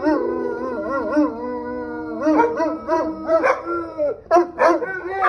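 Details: Several Cane Corsos howl together as police sirens sound. Their voices overlap in undulating, siren-like wails that rise and dip, with sharper, choppier yelps toward the end.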